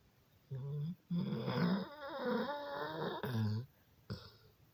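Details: Dog asleep and snoring, with low buzzy rumbling breaths in several bursts and a longer wavering, rattling stretch in the middle, ending with a short snort. Recorded in a small room.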